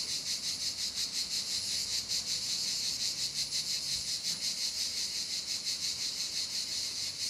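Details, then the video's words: Cicadas singing outdoors on a summer day at an electric-car charging stop in the Drôme: a dense, high, shimmering buzz pulsing about three times a second without pause, with a faint low hum beneath. "Bon, c'est parti. La charge est lancée. Je vous laisse écouter les cigales."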